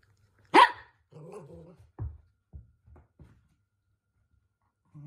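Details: Toy Poodle Minato, the household's eldest male dog, indoors in a small room after getting carried away and being scolded by his younger sister; one sharp loud bark, then a low rumbling growl and several short soft grunts, with quiet gaps.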